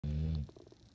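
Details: Adopted female dog snoring while asleep, a single deep, droning rumble lasting under half a second, then a soft fading breath and quiet.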